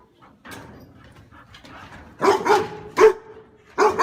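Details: A dog gives about five loud, harsh barks in quick succession after a few seconds of faint shuffling and quiet low noises, with a brief gap before the last pair.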